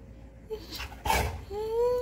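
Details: Pet Labrador Retriever whining: a short muffled burst, then a drawn-out, rising tonal whine that swells toward the end, with a person speaking Bengali just before and after.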